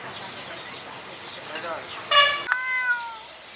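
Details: White cat giving a single meow: a brief rich harmonic burst, then a drawn-out tone sliding gently downward, over faint steady background noise.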